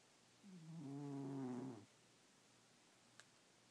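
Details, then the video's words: Domestic cat snoring while asleep at night: one drawn-out, rasping, low buzzy breath of about one and a half seconds with stacked harmonic bands, followed by quiet and a faint click. "SNORING CAT"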